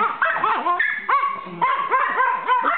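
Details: Pet dogs stirred up and barking during evening play with a visiting dog; repeated bouncy, yodel-like barks and yips, about two per second, several dogs overlapping.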